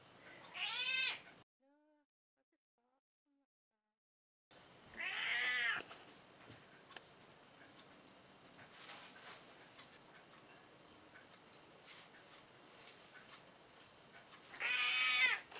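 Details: Montage of an aging cat of roughly 14 that meows a lot: three loud harmonic meows, one before a silent cut and two spaced about ten seconds apart, with faint rustling between.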